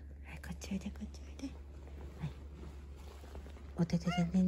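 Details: Baron, a black house cat growing sleepy and seeking affection on a futon indoors, gives a short rising-then-falling meow near the end, preceded by soft whispered Japanese speech coaxing the cat to come and sleep.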